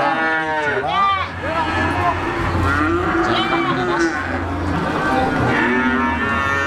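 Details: Peranakan Ongole feeder cattle from Java at the Siyono livestock market in Gunung Kidul, Yogyakarta, Indonesia, giving harmonic moos. Several rising-then-falling calls overlap, with steady market hubbub underneath.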